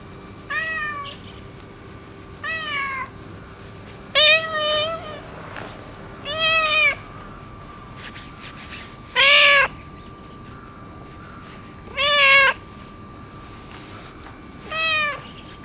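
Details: Neutered ginger tabby boss cat of the neighbourhood seeking affection with seven short arched meows, each rising then falling, spaced roughly two seconds apart over fifteen seconds, against a steady low hum.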